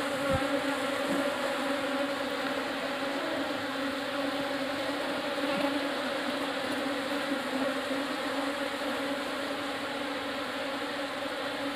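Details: New swarm of Apis cerana indica honey bees settling into a hive box, giving a continuous, unbroken drone of many wings, steady in pitch and loudness, with a few faint knocks underneath.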